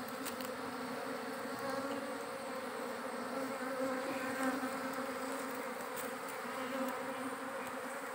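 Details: Giant honey bees at a wild forest nest being harvested for honey: a steady, dense droning hum with layered tones that holds without a break throughout, with faint broadband noise above.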